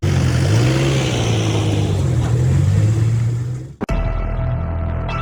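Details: Low engine rumble and background music, then a sharp break into steady hum, with no animal voice.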